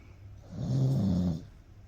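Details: Toto, a Cocker Spaniel, snores while napping beside dad: a single low, rumbling snore of under a second swells mid-clip, then fades back to quiet breathing.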